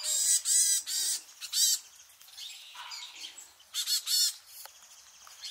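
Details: Japanese macaques of the free-ranging troop at Awaji Island Monkey Center, Hyogo, returning in mid-afternoon with infants. Loud, shrill, bending squeals in short bursts, several calls stacked together, then quieter trailing notes and a short low wavering cry.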